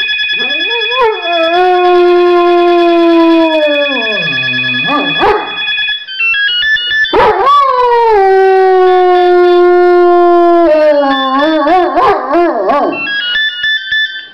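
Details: Riley, a pet dog, sings along to a ringing telephone, his first time howling: long sustained howls that dip and slide, then a sharp rise into another drawn-out wail, over a repeating electronic ringtone melody.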